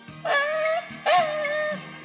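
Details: Dog singing along to music as a trick after being asked to go louder: two loud tonal howls, each starting with a brief rising yelp and holding steady for about half a second, over background music.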